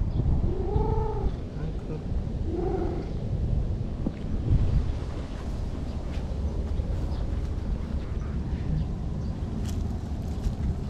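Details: Anko, a brown-and-white stray cat living by a lake in Japan, meows twice, at about one and three seconds, each call a short arched tone, over a steady low rumble of background noise.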